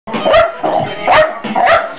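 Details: A domestic dog barking loudly and sharply, with about five abrupt barks in quick succession, roughly two every second, in a quiet setting.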